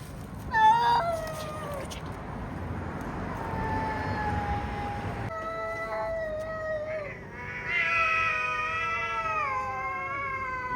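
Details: Two cats fighting, drawn-out harmonic yowls that waver and slide downward, a long steady wail in the middle, then a louder rising-and-falling caterwaul near the end over a low background rumble.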